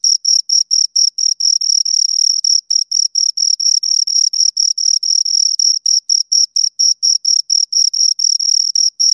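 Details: Two crickets stridulate in sharp, high chirps at just over two per second. Longer blurred bursts alternate with cleaner separate pulses, and there is no other noise.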